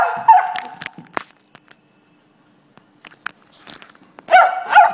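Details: A beagle barks at a bottle stuck under the couch while trying to get it out, giving loud, harmonic barks in short bursts separated by a quiet pause.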